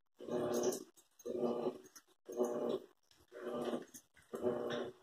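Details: An Airedale terrier and a Lakeland terrier indoors, with five rough, throaty growls, each under a second long, coming in a steady rhythm about once per second with short silences between.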